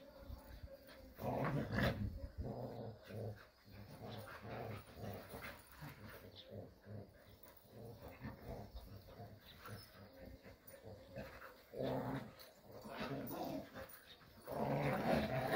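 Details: Playful Jindo dogs romping in the Korean countryside, giving soft, rapid low growls and huffs in uneven bouts, with louder scuffling stretches near the start and end.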